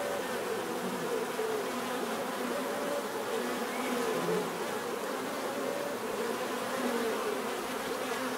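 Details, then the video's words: Steady hum of a crowd of bees, thick overlapping drones with faint wavering tones rising and falling in the buzz, constant level from start to end. "bees therapy relaxing natural buzzing sound"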